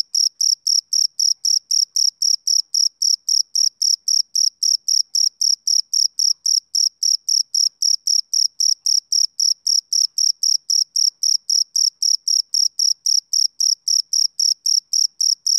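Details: Summer-evening chirping of male crickets, a long unbroken series of crisp high-pitched pulses at a fast, even rate of nearly four per second, clean and free of background noise.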